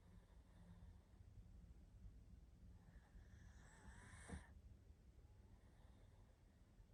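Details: Sleeping pug Barney, worn out, lets out one long snore that builds into a raspy, faintly whistling breath, set against low, steady background hum.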